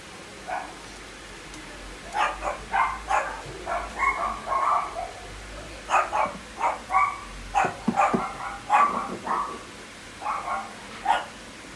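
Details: Shetland Sheepdog, female, sable and white, born 29 December 2017, kept at a pet shop, barking steadily in bright, clipped bursts, often paired, around eighteen barks with a few whiny tonal edges.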